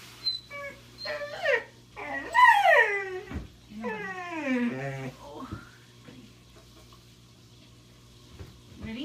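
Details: Blind puppy in pain giving strained, quavering whines and squeals, a few short squeaks then longer bending cries, over a low constant hum in a small room.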